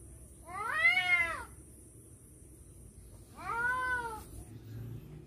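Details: Two drawn-out, arching caterwauls from cats fighting over a female, each about a second long and climbing then sliding down, separated by a quiet gap, with a faint steady high whine throughout.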